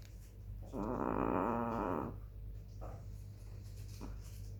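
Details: Sleeping black female chihuahua, recorded 18 July 2021 at 21:07, gives one long wheezy snore with a wavering whistled tone lasting about a second, followed by two faint short snorts over a constant low hum.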